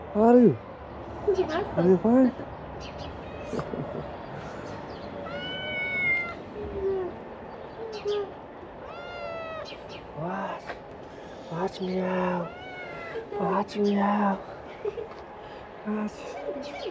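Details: Many ginger street kittens crowding toward the food box, producing scattered meows, some low and drawn out, others short, bright and rising, as a person calls and talks over them.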